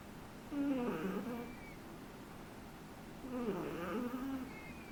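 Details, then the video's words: Three-month-old Shih Tzu puppy snoring indoors: two rasping, harmonic breaths about three seconds apart, each lasting roughly a second, with a faint thin whistle at the end of each breath and quiet room hiss between them. "SHIH TZU roncando"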